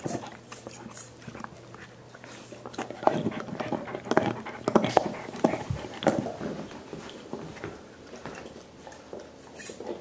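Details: Five dogs gnawing soup bones as part of a dental hygiene routine, giving wet, irregular slurping, smacking and clicking noises. Louder bursts cluster between three and seven seconds, then settle into softer chewing.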